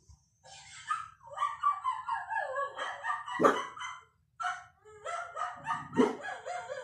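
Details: A 1-year-old cockapoo barks at dogs on the TV with high, whiny yips and sharp barks, its voice rising and breaking between bursts.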